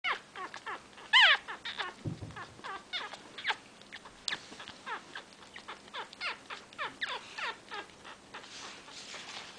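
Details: Five-day-old miniature pinscher puppy giving rapid high thin squeaks and whines in quick repeated bursts, one louder sharper cry near the start, steady faint hum underneath.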